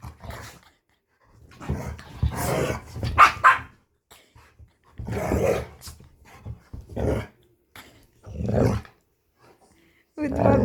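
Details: Chihuahua and pit bull, friends after the small found dog stayed almost two weeks; rough barking and growling in separate bursts every second or two, with pauses of silence between.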